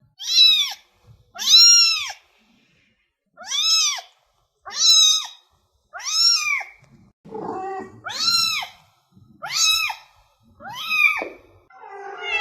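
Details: Domestic cat meows used to attract cats: a series of short, clear arched meows, each rising then falling, repeated roughly every one to one and a half seconds, with a rougher, noisier call near the end.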